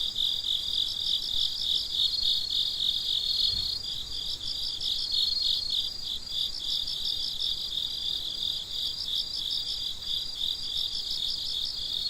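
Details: Crickets at midnight: a dense chorus of high, shrill chirps pulsing several times a second, two overlapping pitch layers trilling steadily throughout, with a brief low thump near the middle.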